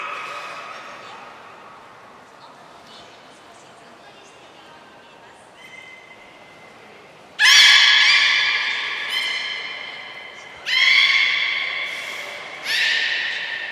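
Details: Beluga at a training session with all the belugas taking part, Port of Nagoya Public Aquarium, 2 April 2023; faint low murmurs give way to three loud, harmonic, buzzy squeals that open with a sharp rise, each held about two seconds.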